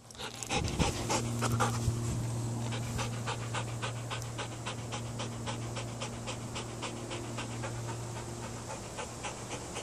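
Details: Belgian Malinois, a herding breed now used as police, military and protection dog, panting rapidly about 220 breaths a minute in steady broadband puffs, with a low hum underneath and a brief louder burst near the start.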